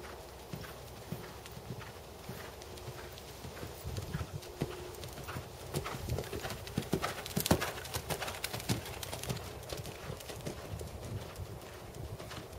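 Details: Black 7-year-old Percheron/Thoroughbred gelding, 16.2 hands tall, schooling dressage at 2nd Level. A brisk, steady patter of hoof strikes, about 102 a minute, swells to its loudest around the middle before easing.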